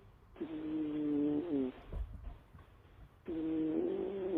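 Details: Snoring cat: long droning, slightly whistling breaths, each about a second long, separated by quieter pauses with soft rustling.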